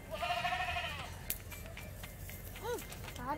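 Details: Sacrificial goat delivered for Eid al-Adha to a mosque's qurban slaughter place in Surabaya, Indonesia, eagerly eating grass; one wavering, harmonic bleat lasting about a second opens, followed by people talking and background bustle.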